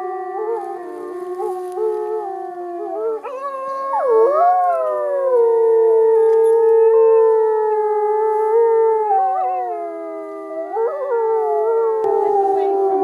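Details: Captive wolves at Polar Park in Norway join in a chorus howl: sustained layered tones at different pitches, with voices sliding up and falling back around four, nine and eleven seconds while others hold level notes.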